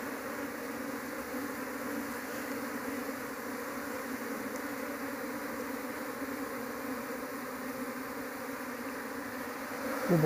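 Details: Dense, continuous buzzing of a big honey bee colony, Apis cerana, during a failed hunt for the queen inside the nest; low steady hum with a brief knock near the end.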